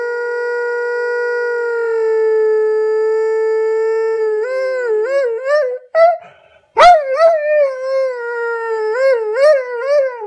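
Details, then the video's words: Bradley Wiggins, an Airedale Terrier, howling, slowed down in slow motion: a long steady low tone held for about four seconds, then wavering, wobbling rises and falls, a brief break, and more quavering howl notes. "Wiggins howling in slow motion"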